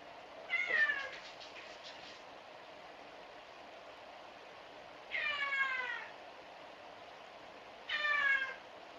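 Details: Domestic cat shut out of a room, crying at the closed door to get inside, three plaintive harmonic meows that fall in pitch, spaced roughly four and three seconds apart, over steady background hiss.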